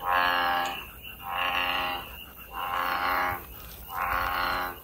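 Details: American bullfrog out in nature: four loud, rough, droning croaks, each lasting close to a second, separated by short pauses, with a faint high insect hum behind.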